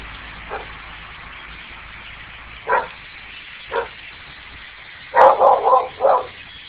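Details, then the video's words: Several pet dogs bark wildly out a window at a huge flock of blackbirds that gathers about twice a year; short sharp barks come singly, then a quick burst of four near the end, over a steady hiss of distant bird chatter. "my dogs where going nuts barking out the window"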